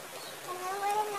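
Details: Cat meowing, from a mix of cats and kittens: a single drawn-out, tonal mew that rises gently and swells toward the end, with clear harmonics over a faint background hiss.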